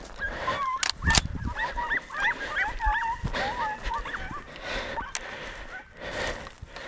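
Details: Podencos on a hunt in the countryside, yelping excitedly in rapid bursts of short rising-and-falling cries, with sharp thumps of movement and a person's voice faintly in the background.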